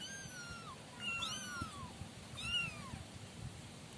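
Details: Five young sibling kittens, kept in a cardboard-box pen, giving high thin drawn-out meows that bend down at the end, overlapping near 1.3 and 2.5 seconds, with low rustling underneath.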